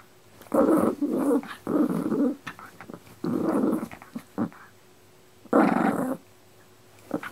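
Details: Dog growling indoors in low rumbling bursts of about half a second to one second, separated by short pauses, with one longer growl near the end and a few faint clicks in between.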